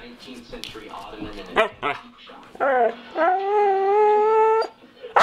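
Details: A pet dog "talking" to its owner, seemingly always trying to tell something: a few short whines, then a drawn-out, steady, howl-like moan with rich harmonics lasting over a second, with soft human voice early on.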